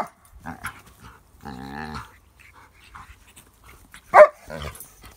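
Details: A pug, seen playing with pug puppies, gives odd grumbling, whining vocal noises, then one sharp bark-like yelp.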